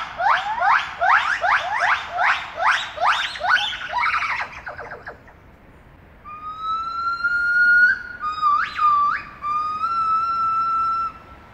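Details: Gibbons at Apenheul zoo in Apeldoorn sing a fast run of rising whoops, then long, siren-like sustained notes, starting their day with song that carries far into town.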